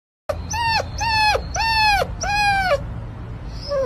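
A Pomeranian puppy gives four high, arched whines in quick succession, each rising then falling.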